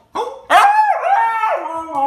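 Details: Husky dog, described as crazy and hyperactive, giving a sharp yelp and then a drawn-out, wavering harmonic howl that slides up and down for nearly two seconds.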